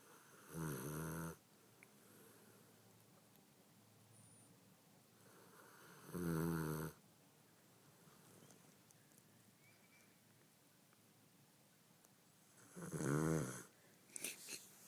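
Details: Shooter the dog, sound asleep after Thanksgiving, snores deeply: three long, low, rasping snores spaced roughly six seconds apart, with soft breathing in the quiet gaps of an indoor room.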